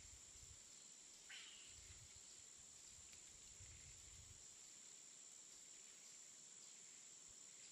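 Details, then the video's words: Insects calling in a jungle in the afternoon: a faint, steady, very high-pitched drone runs unbroken throughout, with a brief rising whistle early on and soft low rumbles in the background. "ジャングル 午後 雰囲気 虫が鳴く"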